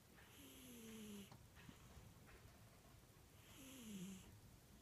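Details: Sleeping cat snoring: two drawn-out breaths, each carrying a thin whistle that slides downward, with breathy hiss between them over a low background hum.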